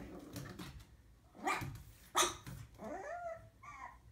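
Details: Pug puppy named Sophie on her first day home, indoors in a small room, barking at her own reflection in a mirror: two sharp, short yaps about a second apart, followed by thin whining, rising-and-falling whimpers.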